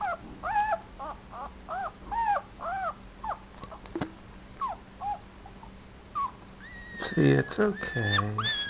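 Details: Tiny four-day-old Papillon puppy giving rapid arched squeaks, one after another. Later the calls turn into longer, wavering whines, and a person's voice joins near the end.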